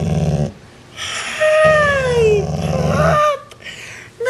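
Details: Rocky, a part-Rottweiler dog, growls at his sibling in two low, rumbling bursts, with a higher whining note sliding down between them, seemingly trying to put the sibling lower in the pecking order.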